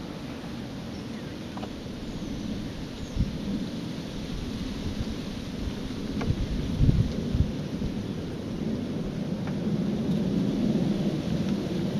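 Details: Low rumbling, thunder-like noise with a steady outdoor hiss and a few faint clicks; no clear animal voice stands out.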